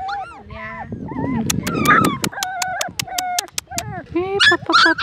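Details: Several three-week-old Siberian Husky puppies whining and yipping together, with high wavering whines, short rising yelps and dense overlapping cries, broken by a burst of regular sharp clicks midway.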